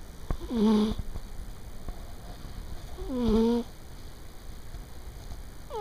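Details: A 15-year-old female house cat snoring while asleep at midday on the corner of a bed: two tonal, wheezy snores about 2.5 seconds apart, each rising then falling, with a third snore starting at the end.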